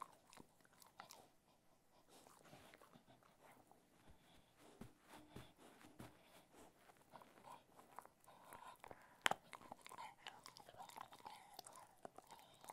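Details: Crunching from Ted, a Cocker Spaniel eating assorted foods: brittle cracks and chewing clicks repeat unevenly, growing busier in the second half, with one especially sharp snap near the middle.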